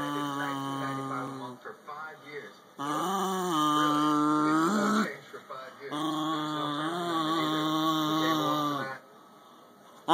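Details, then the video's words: A Cairn Terrier growls while being touched, giving long, tonal growls that rise and fall, each lasting about two seconds. "Cairn terrier (terror) Bandit"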